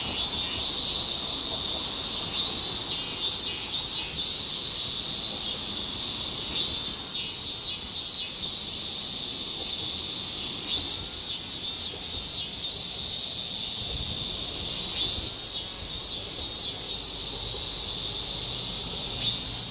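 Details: Higurashi cicadas singing in summer in Japan: a dense high insect chorus with bright pulsed bursts recurring every few seconds over a steady shrill drone.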